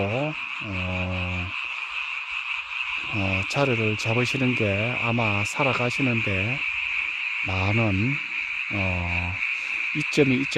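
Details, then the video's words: Frogs calling at night in a mountain village, a sound heard only at this time of year; deep, buzzy croaks in bursts of about a second, some bending down and up, over a steady shrill background chorus. "개구리 소리"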